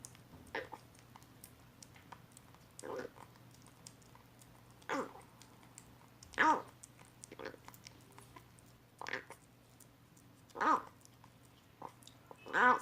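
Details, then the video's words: Rescued kitten abandoned in a box, eating weaning food for the first time and making odd sounds as if saying it tastes great; short harmonic mewing cries about every two seconds, with soft chewing clicks and lapping between them. "구조된 새끼고양이가 처음 이유식을 먹으면서 이상한 소리를 내요"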